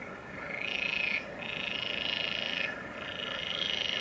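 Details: Green frog filmed at the Kaaistoep, Tilburg, on 29 May 2018, giving long, rattling, buzzy calls, each burst lasting about a second before a brief pause.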